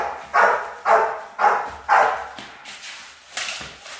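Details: Rottweiler puppies in guard training bark in four evenly spaced loud barks, followed by weaker, more distant barking toward the end.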